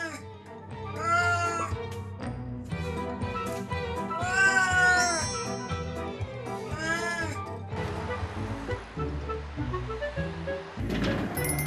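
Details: Domestic cat crying without pause while its owner is away, wailing day and night; three drawn-out arching meows in the first seven seconds, then background music and faint noise continue without calls.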